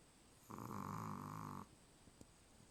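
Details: Fast asleep, the Chihuahua Charlie gives a single buzzy snore about a second long, steady and nasal, followed by soft breathing and a faint click.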